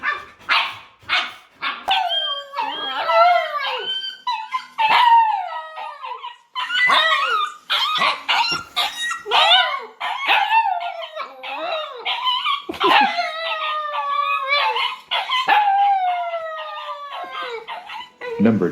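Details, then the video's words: Crying dog, described as crying over sadness; long wavering whines and howls with bent, sliding pitch, broken by short yips, running nearly without pause. "कुत्ते को सुनी जब खुद की आवाज तो देखें क्या हुआ"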